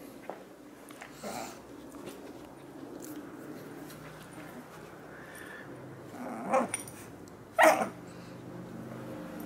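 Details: Two puppies at play: Butters, a Jack Russell Terrier and Poodle mix, and Stewie, a Maltese and Shih Tzu mix. A short burst of rough growling comes early, then two sharper yelping barks close together near the end, over a low steady hum.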